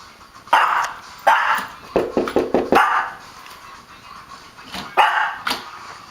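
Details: Pet dog named Simba barking in excitement at the doorbell, running around by the door: loud sharp barks in irregular bursts, a quick run of softer yips near the middle, then two more barks near the end; no other clear sounds.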